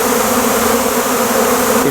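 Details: Dense, steady buzzing of a large crowd of honey bees around a beekeeper after a big honey-processing day, a continuous drone with a strong band of hum and no break in the sound.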